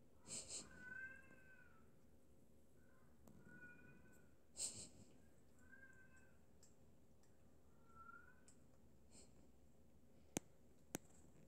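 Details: Indoor British Shorthair cat near drinking water giving four soft, brief mews spaced two to three seconds apart, each a gentle falling tone, with faint clicks and a quiet room hum behind.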